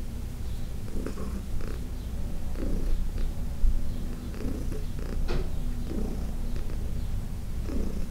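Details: During a June 17, 2021 massage, senior adopted cat Heidi gives a rich low purr, rhythmic rumbling swells about once a second, with light rubbing sounds and soft clicks over it.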